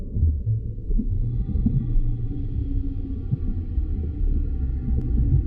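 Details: Humpback whale song underwater: one long, sustained, organ-like harmonic tone holds steady for about four seconds above a heavy, low rumbling background.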